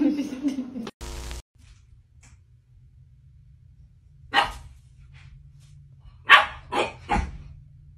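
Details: A Boxer dog gives short, harsh, broadband barks after a quiet stretch. One bark sounds near the middle, then three come in quick succession toward the end. A brief voice and a burst of noise precede them.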